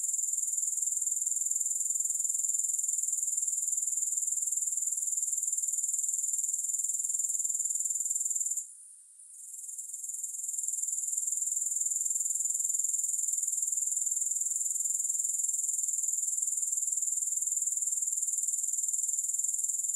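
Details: Unbroken high, hissing insect chorus of grasshoppers, rapidly pulsed and even, briefly dropping away near the middle before resuming at full strength; no music.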